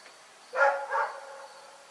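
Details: Night barking from Rex, a dog: a single short double bark, the first part sharp and the second softer, in an otherwise quiet setting.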